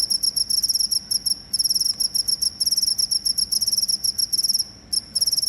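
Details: Cricket, offered as a rat-repelling sound, giving bursts of very rapid high-pitched pulses in short trills of varying length separated by brief gaps. The chirping is the only clear sound.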